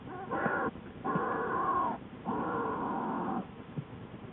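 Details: Inside Lily's den, an American black bear with newborn cubs, February 19–20, 2013: three sustained, harmonic, droning cries, the longer two lasting about a second each, then a brief faint squeak.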